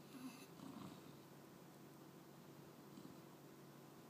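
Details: A male English Bulldog puppy dozes while trying to stay awake, giving low, rumbling, rough, breathy snores with a faint rasp, strongest in the first second, then a quiet steady drone of breathing in a small indoor room.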